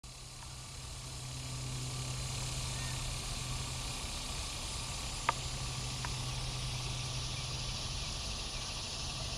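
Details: Cicadas, including Neotibicen tibicen, Neotibicen similaris and Neocicada hieroglyphica, in Bonaventure Cemetery, Savannah, Georgia, on a July 5, 2010 morning. Steady high buzzing drone continues throughout over a low engine hum, with a sharp click near the middle.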